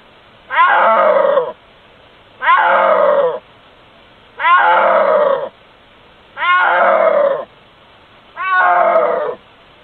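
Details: A snow leopard (Panthera uncia), recorded by an infrared camera, gives loud, drawn-out yowling calls, each about a second long, repeated every two seconds.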